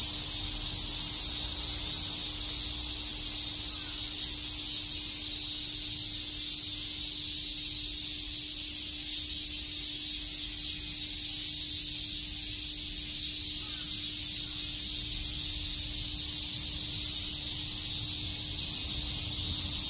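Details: In Shakujii Park, Tokyo, cicadas chirp through a summer day as a seamless, shrill electric-sounding drone that stays level and even from start to finish.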